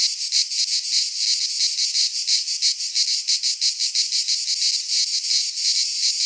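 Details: Loud cicada song in midsummer among Greek pines, a harsh sizzling drone broken into quick pulsing waves, nearly three a second, with clear dips between surges and no other sounds.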